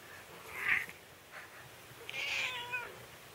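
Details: A Scottish Fold cat having its claws trimmed gives a short squeak, then a longer, strained meow of protest.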